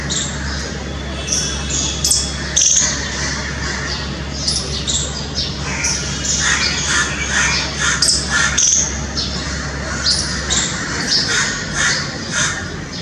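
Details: Squirrel calling, recorded in extreme close-up: a busy run of sharp, high chirps and squawky clicks, bunched in quick bursts across the clip, over a steady low hum.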